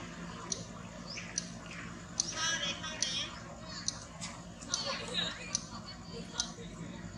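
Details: Baby monkey Mariel, hurt by little Jaison and trying to escape to her mother, gives high, wavering squealing cries in short bursts that rise and fall, with sharp clicks and taps between them and a low steady hum underneath.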